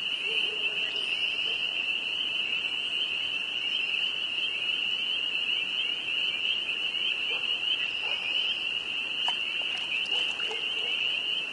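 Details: Spring peeper frogs in northern Vermont in spring, a dense evening chorus of many callers merging into a continuous, steady high shrill whine, with a few faint clicks and knocks.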